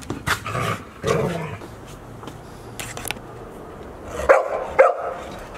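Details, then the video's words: Golden Retrievers at Aine village, filmed 28 October 2018: four puppies aged 186 days, Asahi, Owl, Roi and Chiwa, with their mother. Four short, sharp barks ring out, two early and a paired burst near the end, over quiet rustling and low rumble. "チロの子生後186日目 アサヒ,アウル,ロワ,チワとお母さん（Golden Retriever）"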